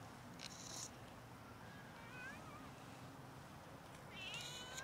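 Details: Hungry cats meowing loudly for food until fed; faint, short upward-sweeping meows around the middle and again near the end, over a steady background hiss with a few sharp noise bursts.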